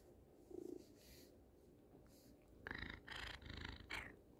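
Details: Buddy, a pet cat called a panther, wants affection and purrs straight into a phone while head-bumping it indoors. A faint low murmur comes first, then four close, rumbling purr bursts in quick succession during the second half.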